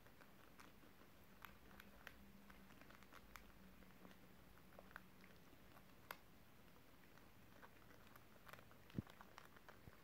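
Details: Crispy beetroot being eaten by pet guinea pigs, recorded December 30, 2023: a stream of faint crunching clicks and gnawing snaps, a low steady hum, and one sharper knock late on.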